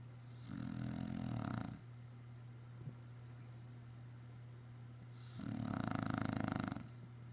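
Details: An English Bulldog snores in long, rattling, low rumbles, one every few seconds, sleeping after a busy day running around outside.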